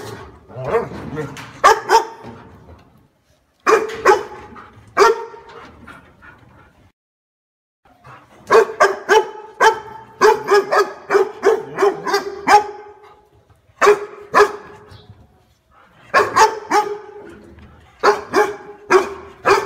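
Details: Repeated barking from a dog: clusters of rapid, sharp barks, some doubled, broken by pauses of a second or two, loud and close throughout.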